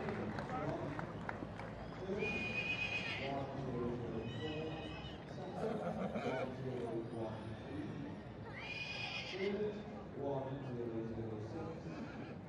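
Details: Welsh Cob mare with her foal: two loud, bright whinnies, shrill and quavering, break out near the start and again about six seconds later over steady murmuring human voices and outdoor background noise.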